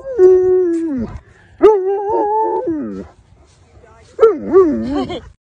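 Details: A male Alaskan Malamute on a walk gives drawn-out, wavering howl-like 'talking' sounds to greet people.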